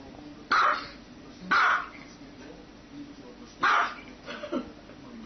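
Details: Pet dog barking three times, loud and slightly echoing, the first two a second apart and the third after a two-second pause, followed by softer yelps over a steady background hiss.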